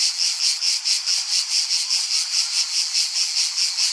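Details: Cicada producing a sustained high, rasping buzz that swells in regular pulses a little over twice per second, nothing else audible.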